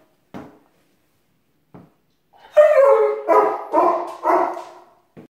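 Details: Rocko, a German Shepherd, protesting its owner's departure for work indoors: a couple of faint knocks, then a drawn-out whining moan that slides downward, followed by three more loud, throaty yowling bursts in quick succession.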